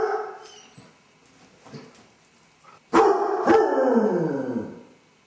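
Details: Basset hound left alone at home, filmed by a camera while showing separation anxiety, howling and whining for an hour; a few faint yelps, then a loud drawn-out howl with a falling, harmonic-rich tone lasting about two seconds.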